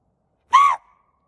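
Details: Rescued female axis deer at night, calling out because something in the dark is scaring her; one loud, harmonic, slightly arched bleating bark lasting about a quarter second, followed by a faint trailing tone; quiet surroundings otherwise.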